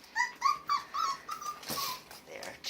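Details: Border Collie puppies whimpering in a series of short, high, whining notes, each sliding slightly, about four in the first second and a half, followed by a longer faint whine and a person's voice urging them to stay down.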